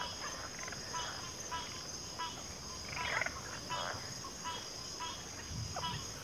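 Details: Frogs croak in a chorus of short pulsed calls spaced about half a second apart, one louder rasp near the middle, with a steady shrill hiss running behind.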